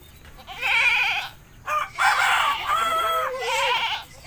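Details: Goat in a village during a bath, crying out in three drawn-out, shaky bleats with a quavering, wavering pitch, the middle one longest, almost without pause between them.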